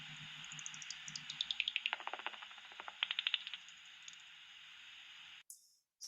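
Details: Common pipistrelle echolocation calls heard through a bat detector at a UK church roost: rapid dry ticks when mistuned, deepening into resonant plops when tuned to a peak of about 46 kHz.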